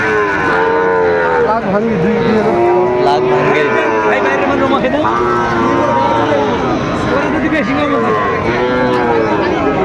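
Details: Sahiwal bull calves traded at Aftabganj market in Dinajpur, Bangladesh, on 2 September 2025, as the market opens: several overlapping moos, some rising and falling, with bargaining voices and crowd chatter throughout.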